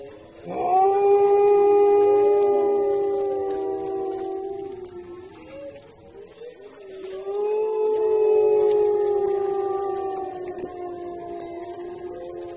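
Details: Wolf howling: two long sustained tonal howls with rich harmonics, the first gliding up then holding steady and slowly falling, the second after a dip around six seconds, with faint overlapping voices at times.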